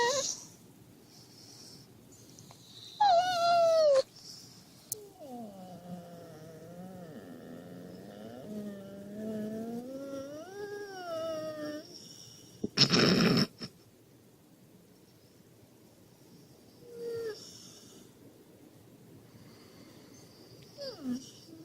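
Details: Husky whining to wake its owner in the morning: long wavering, whistle-like whines rising and falling in pitch, with a short high whine first and a loud burst of noise afterward; quiet room.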